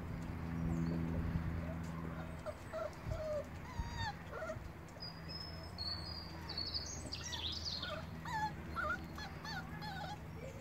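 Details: Rhodesian Ridgeback puppies on day 31, several whining and whimpering with thin high squeaky calls, some rising and falling, scattered across the recording over a steady low rumble and occasional thumps.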